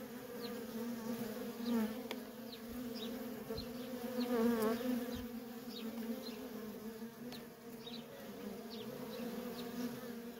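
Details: Continuous droning of many worker honey bees coming and going at a feral colony, the low hum swelling slightly near the middle, with brief faint high chirps sprinkled across the background.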